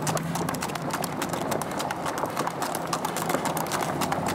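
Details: Hooves of a big sorrel American Saddlebred mare working along a Texas trail ride: brisk, evenly repeated clip-clop strikes throughout, over a low steady hum and general outdoor noise.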